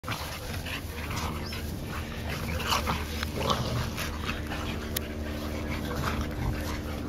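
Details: Three playful Olde Boston Bulldogge pups, two brothers and their white sister aged 1 year 8 months, romping together in July 2012; snuffling, panting bursts and a few short whimpering squeaks over a steady low electrical hum.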